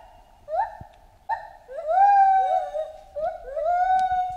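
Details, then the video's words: Chimpanzee in jungle surroundings uttering repeated rising, whistle-like hoots, a couple of short ones then longer sustained, slightly wavering tones; a faint click is heard near the end. "Monkey Ape Sound Effect Chimp Jungle"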